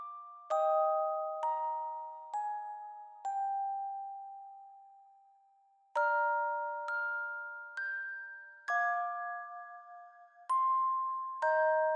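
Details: Gentle glockenspiel melody of bright, ringing mallet notes struck every second or so, each tone slowly fading, with no animal sound present.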